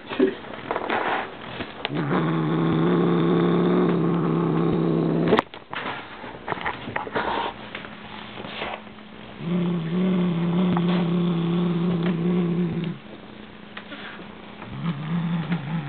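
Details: A Siamese cat, going for his new bird toy, growls in two long, deep, steady rumbles of several seconds each, separated by a quieter pause, with a short sharp knock between and faint background noise.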